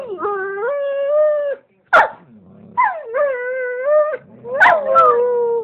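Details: Talkative male shepherd dog howling together with its owner: long, steady, harmonic howls rising at the start, broken by a sharp click, then more wavering howls and yips.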